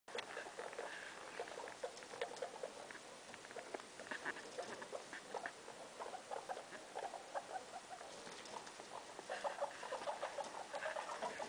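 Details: Guinea pig named Loeki, a mother kept indoors in a room with her three young, giving short repeated mid-pitched chirps and squeaks amid steady scratchy pattering of movement, with a brief louder burst of calls near the end.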